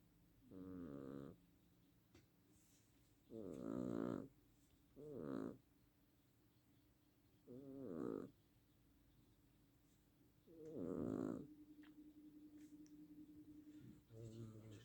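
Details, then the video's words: Pet cat snoring in its sleep: a run of rough, buzzy breaths, several short snorts and longer rattling snores spaced one to three seconds apart over a low constant indoor hum. "Кошка храпит"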